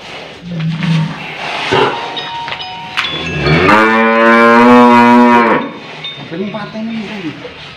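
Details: Old cow being roped bellows one long, loud harmonic moo lasting about two seconds, preceded by grunts and knocks and followed by a softer low call.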